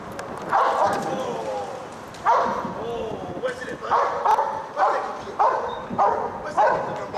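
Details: Police working dog, a Giant Schnauzer, giving single deep barks every second or so, separated by brief gaps, while a handler talks over the training session.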